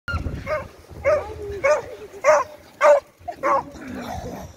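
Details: Beagle playing after search and rescue training, giving about six short, sharp, high barks in an irregular series over roughly four seconds, with a person speaking briefly.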